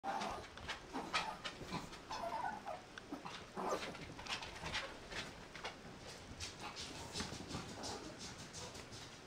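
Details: Mixed-breed puppy whose eyes have not yet opened, indoors, giving thin, high squeaky whimpers in short bursts scattered through the clip over a steady background hiss and soft rustling.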